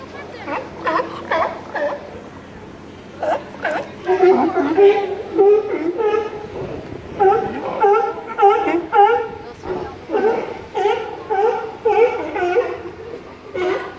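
California sea lion giving rapid, bleating, harmonic calls, nearly two per second.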